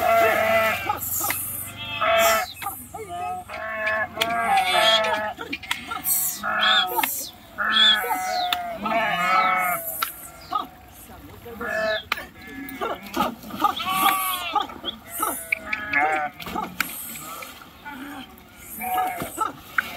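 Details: A flock of sheep jumping into and swimming across a river; dense chorus of overlapping tremulous bleats, high and low voices calling almost continuously, with splashing bursts throughout.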